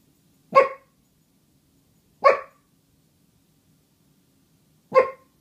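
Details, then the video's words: Two dogs, Pepper and Meishka, singing together: three single, clipped barks spaced roughly two seconds apart against near silence, in a small indoor space. "Doggy Duet"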